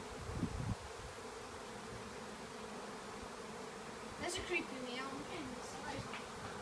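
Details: A honey bee swarm in a garden in Northop Hall, North Wales, makes a steady, low, droning hum, with a few brief louder bursts.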